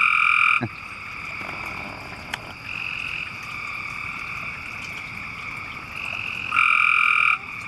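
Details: Several frogs, about half a dozen, call under a street culvert on a rainy night in a West Raleigh neighbourhood. Long, steady, high trills overlap one another. The loudest trills open and close the stretch, with quieter callers continuing in between.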